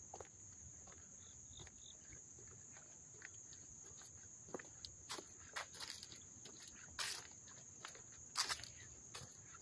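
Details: Crickets recorded up close in Dobbs Ferry, New York, on August 29, 2024, making an unbroken high, thin trill that holds steady throughout, with scattered sharp clicks and taps over it.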